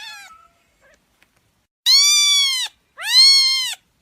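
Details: Kitten giving a faint short mew, then two long, drawn-out, loud meows, each held nearly a second with a smooth arched pitch.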